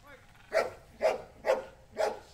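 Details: Amos, an 8-year-old trained Belgian Malinois at a K9 boarding and training school, gives four evenly spaced sharp barks roughly half a second apart.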